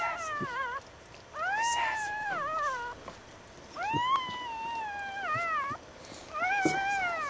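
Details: Newborn puppies at home on a snowy winter night, shortly after birth: long wavering whines that rise, hold and dip, about one every two seconds with gaps between, over a soft hiss.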